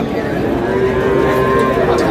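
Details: Sahiwal bull calf at a cattle market in Chattogram mooing: a sustained, steady, low droning moo lasting the full two seconds, with faint human voices and market noise behind it.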